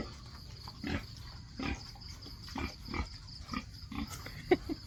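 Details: A domestic sow on a rural farm gives short, low, rough grunts, about one every second, with faint insects and low background hiss between them.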